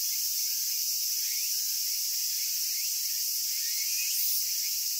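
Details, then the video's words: Cicadas in Japan producing a constant shrill hissing buzz, steady in loudness, with faint brief chirps and sliding notes beneath it. "Cicada Sounds and Cicada Songs"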